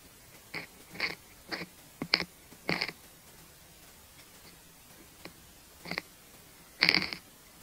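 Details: Longhorn beetle (フタスジカタビロハナカミキリ) feeding on cabbage, recorded up close: loud crunchy bites in short bursts, roughly nine irregular crackling chews with brief silences between, the last one longest and strongest.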